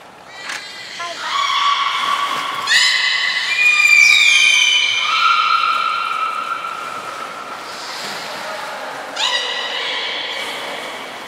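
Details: Captive belugas Hodoi, Taanya and Mirai during a training session at Port of Nagoya Public Aquarium, 14 September 2019. A series of harmonic, whinny-like whistles: some hold flat, others slide downward, and a new call starts about every three seconds.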